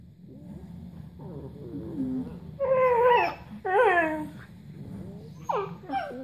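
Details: Podenco dog vocalising as if talking with a whippet: a series of whiny, rising and falling whimpers and yelps, soft at first, then louder drawn-out wavering whines around the third and fourth seconds, ending with short sharp yips.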